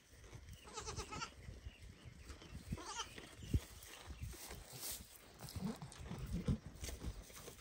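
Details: Baby goat loudly calling its mother so she will feed it, after watching her eat; a wavering, nasal bleat near the start, then a shorter second bleat, over steady low rumbling and shuffling noise.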